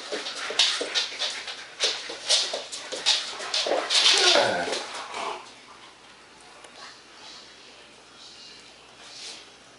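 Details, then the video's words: During play on 14 September 2015, German Shepherds Max and Ace pant hard in quick bursts, then a short whine slides downward around four seconds before the sounds die away into near quiet. "German Shepherds Max and Ace playing"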